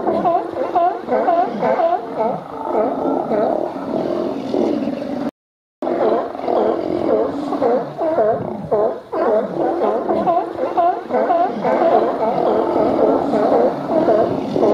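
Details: Autumn gathering of hundreds of California and Steller sea lions feeding on spawning salmon in Cowichan Bay, British Columbia; a continuous din of rough, nasal barks, roughly two per second, with many animals calling over each other and one short gap.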